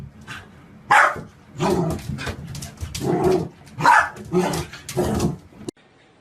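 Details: Puppy giving about seven loud, rough barks spaced roughly every half second to second, each a broad noisy burst, in a small indoor room with no other clear sounds before an abrupt cut.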